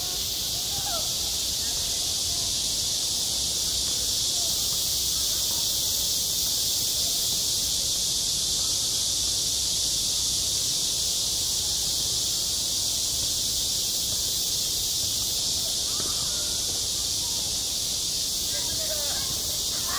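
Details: Midsummer cicadas calling at a school playground, their piercing high buzz held steady and unbroken for the whole stretch, with only faint scattered chirps and rustles below.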